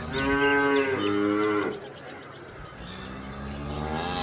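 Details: Cow mooing: a loud, drawn-out, harmonic moo lasting about a second and a half, then quieter low moos and background noise.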